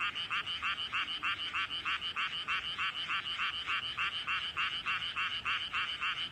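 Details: In a rice paddy, a frog croaks at close range with its throat puffed out enormously. Rapid, very even rasping pulses repeat about three times per second without a break, over a soft background frog chorus.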